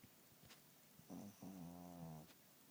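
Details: Richard the cat snores in his sleep: two rough, droning snores in quick succession, the second longer and strongly harmonic, then quiet breathing.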